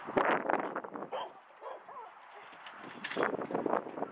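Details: Dogs playing at a dog park, short barks and yips in quick bursts mixed with people talking and open outdoor background noise.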